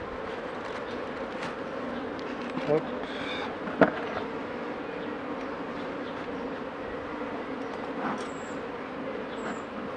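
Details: Steady humming of a honey bee colony in a Mini+ hive, worked by a beekeeper in 2018 while treating drone-laying colonies. Occasional clicks and taps from the equipment punctuate the unbroken drone, and faint high chirps show near the end.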